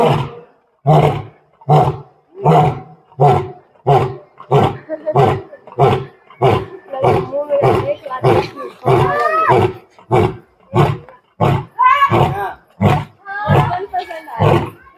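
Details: Captive Asiatic lion at Birsa Zoological Park, Ranchi, getting up, roaring twice and sitting down again, the roar echoing all around; a long series of deep, rhythmic grunting roars about every 0.7 seconds, with people talking nearby.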